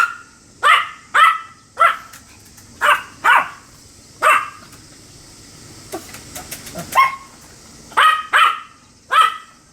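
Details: Pomeranian named Sam, 25 July 2015, beer foam on the muzzle: a rapid string of sharp, high-pitched yapping barks, around a dozen in ten seconds, several in quick pairs, over a quiet constant background hum.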